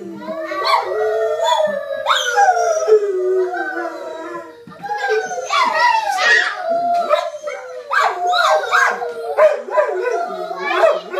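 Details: Pet dog howling together with several people, a mix of long wavering howls and yips overlapping with human imitation howls and voices, rising and falling in pitch throughout.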